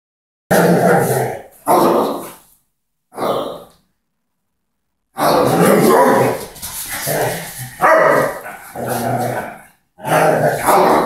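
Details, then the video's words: Doberman playing with a ball in a tug-of-war contest with a person: rough, gruff growl-barks in short loud bursts, several quick ones, a pause, then a longer run of harsh growling sounds with brief gaps. "Мяч раздора / Ball of discord - playing with doberman"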